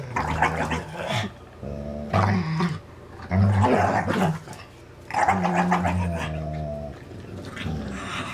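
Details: Dane and Polo, two dogs at play over a rope toy, one licking the other's teeth; low rumbling growls mixed with snorting, gargling sounds and scuffling, in repeated bursts about a second long.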